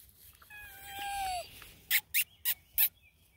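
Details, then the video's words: Bluetick Coonhound puppies at a Canadian hound breeder in Ontario, reacting as someone sneaks up quietly: one long high whine bending downward, then four short sharp bursts, faint outdoor background. "How do Bluetick Coonhound puppies react? sneaking up & not talking"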